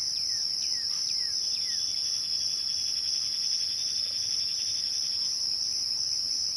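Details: Crickets at twilight keep up a steady, unbroken high-pitched trill with a fainter, higher band above it. A few quick, downward-sweeping bird chirps sound during the first two seconds.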